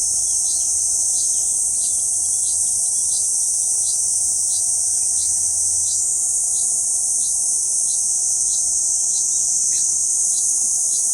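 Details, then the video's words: On Okinawa Island's central part, a Kuroiwa cicada calls from a banyan trunk, June 11, 2023; steady piercing high-pitched buzz held throughout, overlaid by soft rhythmic ticking chirps roughly every third of a second. "クロイワニイニイ（セミ科） 2023年6月 沖縄本島"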